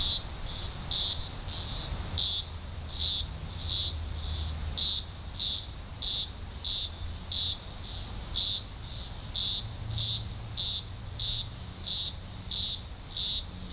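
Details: Green grocer cicadas singing in their thousands during an early October 2020 emergence in Australia's Blue Mountains; regular shrill pulsed bursts, about one and a half per second, atop constant high buzzing, with faint low hum.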